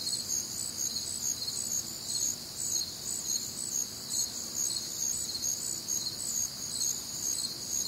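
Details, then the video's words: Night chorus of crickets recorded on a humid, warm Midwestern summer night, continuous shrill trilling in several stacked high bands, pulses overlapping into an unbroken shimmering wall of sound. "Night Time Cricket Sounds"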